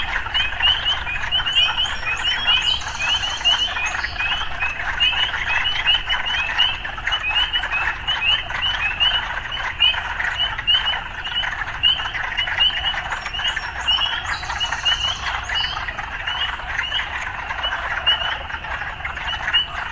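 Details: Urban frogs calling with occasional urban life sounds mixed in: a dense, steady croaking chorus, with short rising chirps repeated about twice a second and two brief higher mechanical-sounding bursts near three and fourteen seconds.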